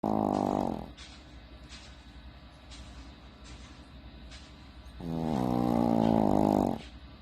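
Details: A Shih Tzu snores with loud, buzzy, rasping breaths about every five seconds.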